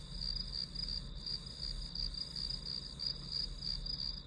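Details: Grass insect calls in a study-with-me recording: rapid, even pulses of a high thin chirp, about three a second, layered over a constant shrill hum and soft low noise.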